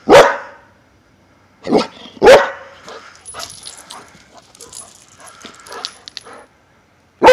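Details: A Xoloitzcuintli named Sombra at play gives loud, abrupt barks. Two come close together near the start, then a quieter stretch of rustling and faint noises, and one more bark at the very end.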